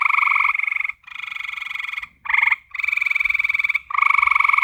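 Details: Night-time frog chorus of long, buzzy, rapidly pulsed trills running almost continuously, broken only by brief gaps about every second, with a faint low background hum.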